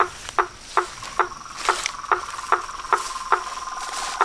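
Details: Frogs calling at dusk beside a reservoir in front of a house: sharp, knocking clicks repeated about every 0.4 seconds at a steady pace, over faint hiss.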